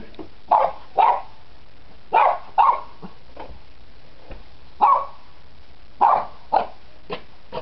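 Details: Playing Cairn Terrier pups, nine weeks old, let out short sharp yips in pairs, about ten barks spaced irregularly through the recording.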